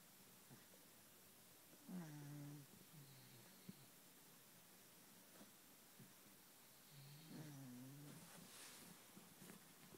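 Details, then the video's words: A sleeping kitten, cozy in bed, snoring softly: two low, drawn-out wheezy breaths a few seconds apart, each with a faint rising then falling tone, over a quiet hiss and a few light rustles. "Snoring kitten"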